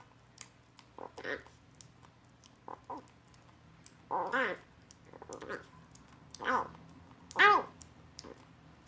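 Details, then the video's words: Rescued kitten, abandoned in a box with siblings Rei and Chaehwa (Lemon), eating weaning food for the first time and making odd little sounds as if it tastes great; short arched mews come in irregular bursts between wet clicking, smacking noises. "구조된 새끼고양이가 처음 이유식을 먹으면서 이상한 소리를 내요"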